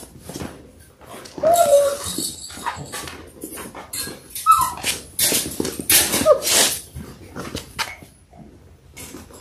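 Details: Labrador Retriever puppies in their sixth week, six littermates born January 18, 2022, filmed on a live stream; three brief high whines rise and drop between shuffling, scratching noises indoors.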